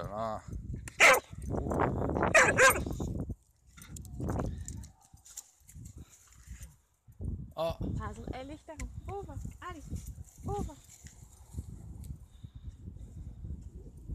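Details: Rough Collie named Hazel on a sunny-day walk, playing fetch with a thrown stick: two or three loud, sharp barks in the first few seconds, then quieter sounds among people chatting outdoors.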